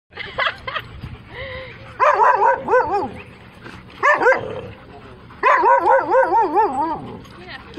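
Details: Female Siberian Husky talking or yelling insistently: wavering, warbling howl-like bursts with strong harmonics, three long outbursts separated by short pauses and softer yips.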